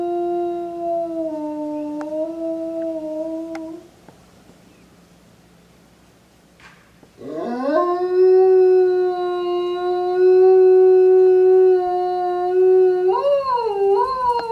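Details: Yuki, a male eastern timber wolf aged five at Tokushima Zoo, Japan, on a January afternoon: a level howl fades out, then after silence a new howl swoops upward and holds long and steady before breaking into wavering bends.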